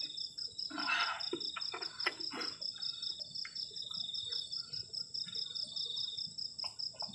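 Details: Night crickets around a camping shelter on a cold night keep up a continuous high, rapidly pulsed chirring over a constant ringing tone, while louder knocks and scraping from camp handling break in near the start.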